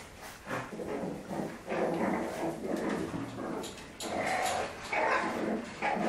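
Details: French Bulldogs play fighting indoors, low rough growling and grumbling noises in irregular bursts, with some higher whiny yelps toward the end.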